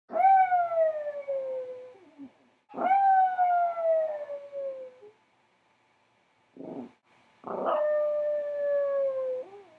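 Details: A Chihuahua howling under a blanket: long, clear howls that start high and slowly sink in pitch, each lasting about two seconds, with a short whine and a brief huff between them.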